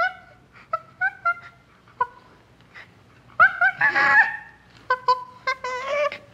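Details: Common chimpanzee giving short, clear tonal hoots in spaced bursts, several two- or three-note groups, with a harsher, noisy outburst around the middle; quiet room-like background, no other animals.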